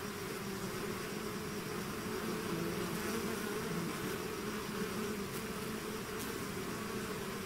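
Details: A swarm of bees out of its hive fills the air with constant droning, several buzzing pitches stacked together, a few faint ticks high above the hum.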